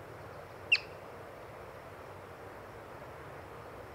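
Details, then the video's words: One brief, shrill whistle-like chirp from a yellow-bellied marmot observed while birding, followed by several seconds of quiet outdoor background. "Yellow-Bellied Marmot Chirping"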